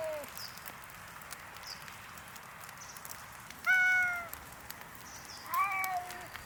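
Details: Hungry free-roaming park cats by the Tama River in Japan calling on a snowy morning: a faint meow at the start, then two clear, sliding meows a couple of seconds apart, with soft outdoor ambience between them.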